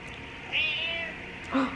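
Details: Domestic cat at a cat cafe, with other cats present: a short, high, slightly wavering meow around half a second long, followed by a fainter lower note; quiet room background.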